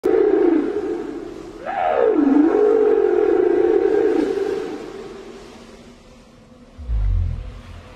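A southern right whale gives a low, tonal moan that sweeps up, dips, then holds steady.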